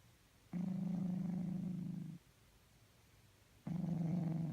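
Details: Cat snoring in its sleep, making weird noises: a steady low rumbling breath lasting about a second and a half, a pause of similar length, then another deep droning snore begins.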